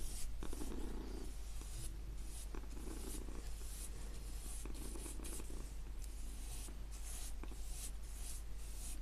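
A domestic cat purrs with a low, steady rumble under soft brushing sounds.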